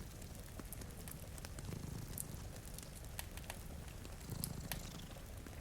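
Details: Two cats sleep in front of a rainy window beside a cozy fire, purring in a low, steady rumble that swells in slow breaths, under sharp crackles of fireplace and soft patter of rain.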